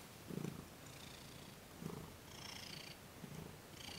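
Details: Purring from Thomas the cat as he receives massage and Reiki, December 28, 2021. Three low, rumbling purr bursts roughly 1.5 seconds apart, interleaved with soft hissing swishes of a hand stroking fur.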